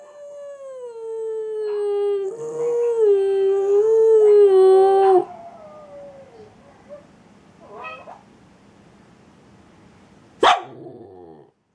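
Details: A Boston Terrier sings along with other dogs, giving a long, wavering howl that slides slowly downward, then trails off into softer whines.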